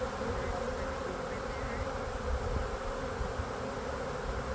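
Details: Late-spring swarm of Western honey bees in a Lakeland, Florida tree during retrieval into a box; steady, thick droning hum of many bees with a band of buzzing tone throughout.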